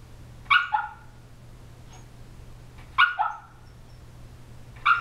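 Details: An 18-week-old female Shiba Inu puppy makes funny noises while asleep and dreaming: three muffled, soft woofs with a quick double pulse, about two and a half seconds apart, over a low steady hum in a quiet room.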